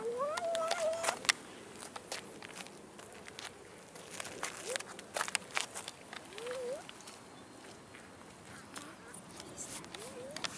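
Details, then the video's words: Abandoned park cats begging for food: a drawn-out wavering meow opens, followed later by short, rising mews, amid footsteps, clicks and rustling outdoors. "ABANDONED CATS IN OUR CITY PARK BEGGING FOR FOOD"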